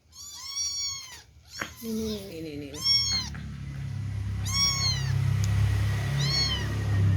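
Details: Abandoned kittens being fed milk, crowding to feed: loud, high, arched mews with strong harmonics, about four bursts over seven seconds, alongside a brief lower wavering voice and a steady low rumbling background from the second half onward.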